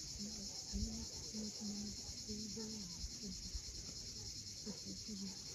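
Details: Sunset cicada chorus on the steep Crimean shore at Cape Fiolent: a constant bright, rasping drone overhead, with repeated short low tonal notes, like distant voices or birds, and soft thuds.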